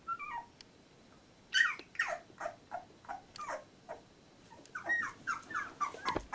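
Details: Labrador Retriever puppies, 14 days old, from a litter, indoors; a brief high whine falling in steps, then a run of short squeaky whimpers and grunting yelps, rising and falling, several in quick succession.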